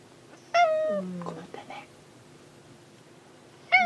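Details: A house cat looking for a missing companion cat lets out a clear, drawn-out meow that falls slightly at the end, then a lower murmur, and a second sharp meow after a pause; indoor setting.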